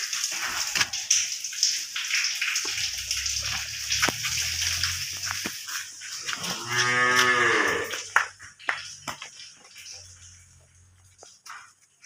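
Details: Holstein Friesian cow, offered for sale with her calf, gives a single long moo of about a second and a half midway through, rising then falling, over a steady hissing background with scattered clicks and knocks.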